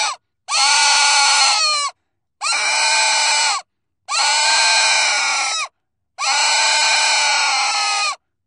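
A pig gives four long, shrill squeals, each over a second long and separated by brief silences.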